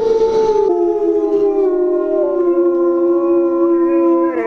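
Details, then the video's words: Siberian Husky howling in a tantrum in response to sounds from a speaker, one long sustained tonal howl that starts higher, drops slightly and holds steady for over four seconds. "Dog Throws Howling Tantrum"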